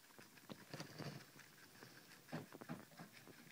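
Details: Night-time cucumber snack for guinea pigs, heard as two short clusters of crunchy bites, one near the start and one after two seconds, with soft rustling between.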